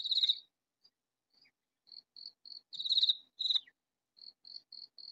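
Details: Katydid calling loudly from a hidden spot in a vegetable garden: high, dry rasping bursts, with soft short ticks between them. Two loud bursts, the second followed at once by a shorter one, then a run of quieter clicks.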